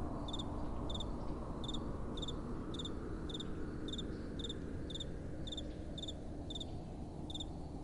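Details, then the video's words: Nighttime cricket song: crisp high chirps repeated about a hundred times a minute in a slightly uneven rhythm, with soft wind rumbling steadily underneath. "Relaxing Night Time Sounds | Crickets & Soft Wind"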